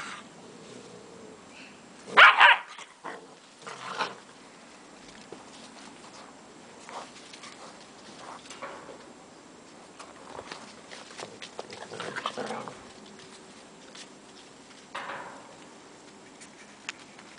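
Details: German Shepherd puppies with Gretta; a sharp bark burst near two seconds, followed by scattered yips, whimpers and a short cry near fifteen seconds amid soft rustling and movement.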